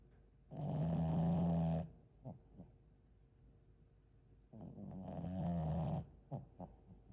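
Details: Deep, buzzing snores from a sleeping French Bulldog, each drawn out over more than a second and about four seconds apart, followed by short snuffling snorts.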